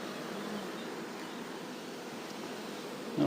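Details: Honey bee swarm being moved on a farm, a low steady hum of many bees droning throughout, with a brief louder knock near the end and quiet speech around it.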